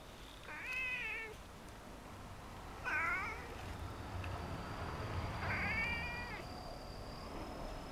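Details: House cats that left their resting spot on a block wall to greet a visitor. Three clear, wavering meows come about two seconds apart, with a steady faint hum behind them.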